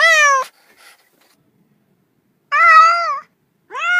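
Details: Cat producing three loud, clear meows: one falling, one long and level with a slight wobble, and a final rising one, with silence between.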